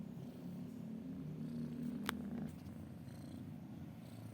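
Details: A cat purrs in a low, continuous vibrating rumble that swells slightly mid-clip. A single sharp click breaks in near the middle.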